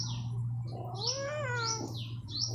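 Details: Domestic cat billed as a talking cat, giving one rising and then falling meow. A steady low hum and background music run underneath.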